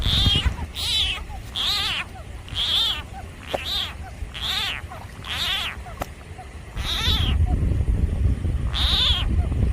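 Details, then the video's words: Frog in a clash with a snake, giving a rapid run of loud, falling, meow-like cries at uneven intervals, with low rumbling noise growing stronger toward the end. "Frog sounds"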